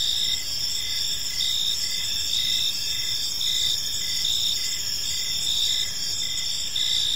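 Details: Crickets chirping in a peaceful park as evening unfolds: a steady, high shrill layered with pulsed bright trills that swell roughly every second, over a soft low background rumble.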